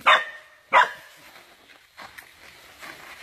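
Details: Dog caught by an anaconda lets out two loud, harsh yelps close together, followed by fainter, muffled sounds and background noise.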